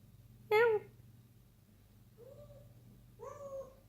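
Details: Six-month-old kitten meowing indoors while playing at night instead of sleeping: one loud, sharp, harmonic-rich meow, then two softer, drawn-out meows about a second apart, over a low steady hum.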